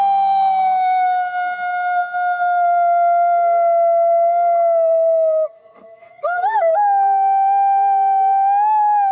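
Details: Gray wolf. A wolf holds a long, smooth howl on a fairly steady pitch, then pauses briefly. It resumes with a quick wavering lift into a slightly higher, sustained note, with a second, lower voice faintly joining in.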